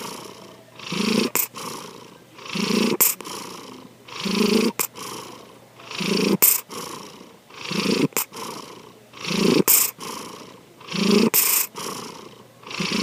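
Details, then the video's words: A domestic cat named Sankichi, fast asleep, gives eight regular snores. Each is a swelling, gravelly inhale-exhale with a low hum inside, spaced roughly every one and a half seconds, with short quiet breaks between. "三吉のいびき2 Our Cat, Sankichi snoring."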